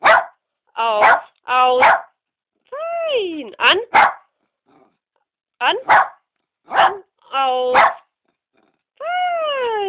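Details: Jimmy, a 5-year-old male Cairn Terrier mix, gives sharp, ringing barks in short bursts on command, trained to start barking at "an" (on) and stop at "aus" (off); recorded on a phone.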